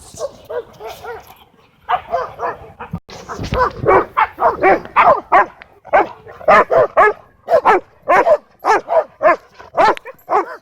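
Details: Dogs at a dog park where a Cane Corso tries to dominate and Bodhi interrupts; a rapid, uneven run of loud mid-pitched barks, some in quick doubles, sounding roughly twice a second after a brief pause.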